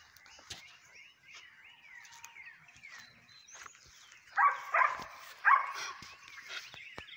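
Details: Dark sable German Shepherd puppy giving a run of short, rising whines and yelps, then three louder, harsher bursts near the end, with faint high chirping in the background.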